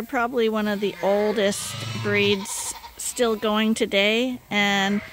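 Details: Lambs getting extra milk from a bottle feeder because their mothers are not giving enough call out in bursts of shaky, bleating cries. Some short pauses and a soft rustle break up the overlapping calls.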